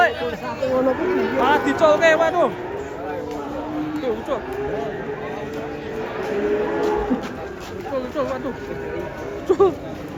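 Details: Cattle coming down from a truck, several animals together; long, low, drawn-out moos held steady for a few seconds, with shorter bellows around them and people chattering in the background.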